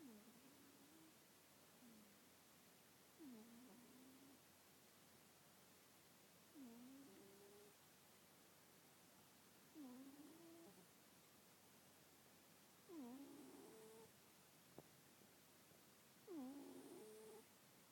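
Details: Sleeping cat with nasal congestion snoring, each breath a short buzzy, harmonic wheeze that dips then levels off, repeated about every three seconds and growing slightly louder toward the end in a quiet room.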